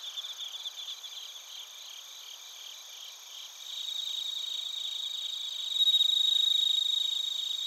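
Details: ['Narita, Chiba, Japan, recorded on a TASCAM Portacapture X8: bell crickets and crickets form a layered high chorus. Quick regular pulses sit beneath sustained ringing tones, with a nearer, louder trill rising near the end.']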